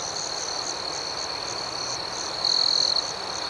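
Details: Crickets chirping at night in a calm outdoor setting: a steady high trilling band with a second pulsing layer, and one louder, closer trill rising briefly near the end.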